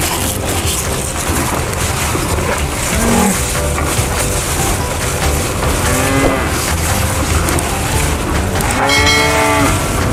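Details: Cow mooing: a short low call near the middle, then two drawn-out harmonic moos with gently arching pitch later on. All are partly buried under loud, steady rushing background noise.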